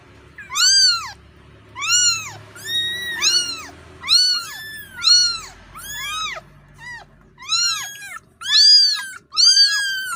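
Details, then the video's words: Kitten calling for its mother after losing her: loud, arched, whining meows that rise then fall, about fourteen spread unevenly across ten seconds, with some overlapping cries and a faint low hum indoors. "The sonud of a kitten losing its mother(Suara anak kucing memanggil induknya)"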